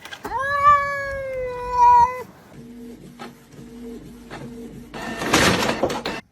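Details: Domestic cat in a funny compilation gives a long, loud, drawn-out meow with a slightly wavering pitch, then softer repeated low mews, followed by a burst of noise near the end.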